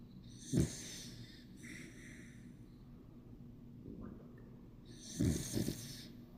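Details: A sleeping Bichon Frise named Yang Bibi snoring: two low, rough breathing bursts about four and a half seconds apart, with a faint softer breath between them in a quiet room.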